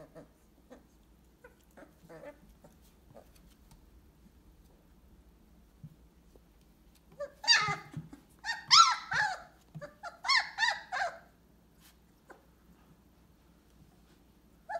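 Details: Purebred Weimaraner puppies at 22 days old, indoors; a quiet stretch of faint clicks, then a cluster of high, squeaky whining cries with rising and falling harmonics over about four seconds before fading back to near silence.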